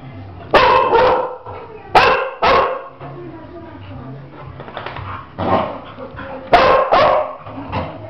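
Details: Two Labradors, one nervous and turning on the other: loud short barks, often in quick pairs, separated by quieter gaps where a human voice and low rumbling are heard.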